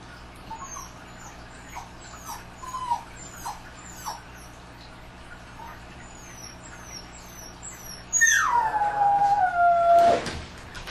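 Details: Dogs at night: soft faint whimpers over steady background hiss, repeated high chirping above, then a loud drawn-out howl that drops in pitch and wavers near the end.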